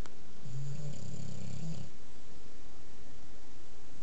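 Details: Sleeping bulldog named Duncan gives one low, throaty, vibrating snore of just over a second near the start, then quiet breathing and a still room.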